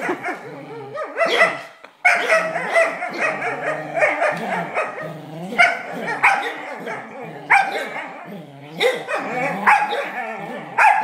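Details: During tug play, Charlie the black Smooth Collie keeps up a long stream of rumbling growls mixed with nasal whines and short yelping barks, coming in loud surges every second or two with brief pauses.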